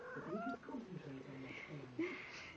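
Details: A Siamese cat with a butterfly gives drawn-out, wavering meows, with a human voice possibly mixed in.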